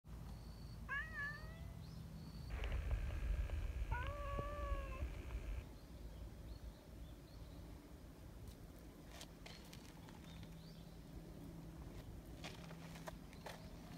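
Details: Friendly community cats living outdoors in a large group: a few clear, drawn-out meows with wavering, slightly falling pitch in the first five seconds, over a loud low rumble, then faint clicks and rustling.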